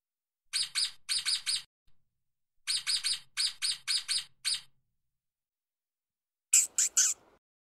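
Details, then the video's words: Stoat (ermine) chirping as it runs fast on the ground: clusters of two to four short, bright chirps in quick succession, separated by brief pauses, then three harsher, louder broadband chirps near the end. "Ermine produce a fine chirping noise. Fancy stoat sounds."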